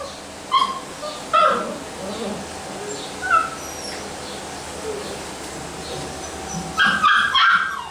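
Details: Basset Hound puppies giving scattered high yips, a few short separate calls early on, then a louder cluster near the end over a soft background hum.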